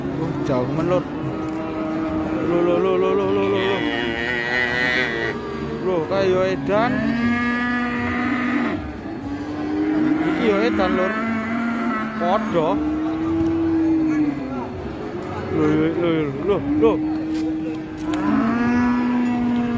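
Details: During the release of a raging cow, overlapping cattle moos sound one after another, long flat bellows alternating with higher rising and falling calls, some barely a second apart, over a continuous crowd-like hum.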